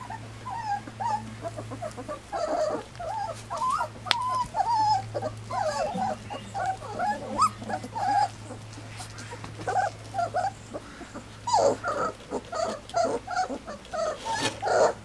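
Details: Three-week-old Standard Poodle puppies, first day outdoors and covered in leftover puppy gruel, whimper almost nonstop: high, wavering whines and sharp squeals overlapping in quick bursts, with a steady low hum behind them.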